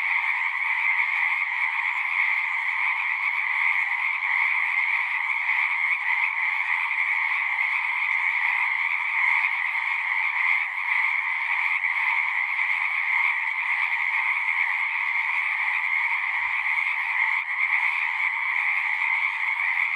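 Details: Many frogs singing at a pond in a horse pasture, captured on a Zoom recorder: a dense, unbroken chorus with two steady bright bands of trilling, one mid-pitched and one higher, holding at even loudness throughout.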